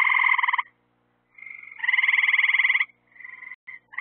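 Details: Night-time frog chorus by lights drawing insects: a rapid pulsed, rattling trill, then a longer buzzy trill lasting about a second, followed by fainter shorter calls from another frog.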